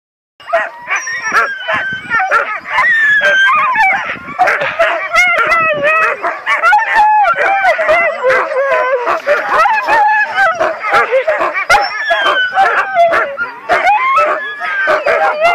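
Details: Siberian Husky in Ushuaia, Tierra del Fuego, Argentina, crying impatiently before a dog sledding run; continuous wavering, yodel-like whines and howls sliding up and down, with sharp yips and other excited dogs barking throughout.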